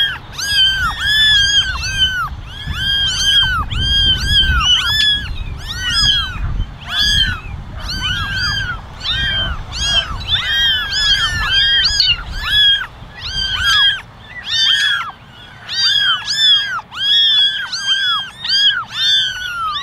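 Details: A basketful of eleven kittens, ten ginger and one white, meowing for attention; a dense, nearly continuous chorus of high, bowed mews from many young voices over a soft low rumble.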